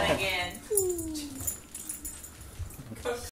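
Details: Beagle pup indoors, working to free his toy from his cage: a short high-pitched whine at the start, then a longer falling whine, with a person's voice and faint rustling.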